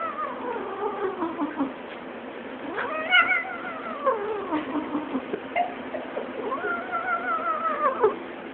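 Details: A domestic cat yodels in a sustained run of wavering, drawn-out meows that bend up and down in pitch, with brief breaks between phrases and a louder rising cry midway.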